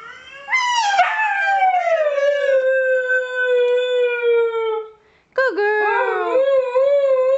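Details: Female Siberian Husky Kiva singing along with her owner: a long howl sliding down and held with slight waver for about four seconds, a short pause, then another rising, wavering howl.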